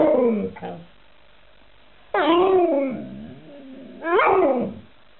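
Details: Alaskan Malamute making woo-woo vocalizations: a wavering moan, then two rising, yodelling howls that bend upward and slide down, each about a second long, separated by a low grumbling tail.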